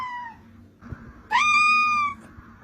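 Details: Kitten giving a brief falling mew, then after a pause one loud, steady, drawn-out meow lasting under a second, clear and tonal, over a quiet room hum.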